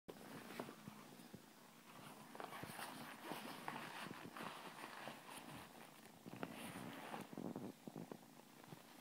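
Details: Blue Scottish Fold cat purring indoors: a soft, steady low rumble runs throughout, with faint rustling and a few light handling clicks.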